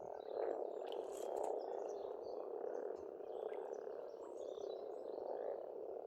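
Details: Frog chorus at a pond on a farmstead in Estonia in spring: a dense, continuous croaking drone with steady trilled pulses, while birds sing faintly above with scattered high chirps and whistles.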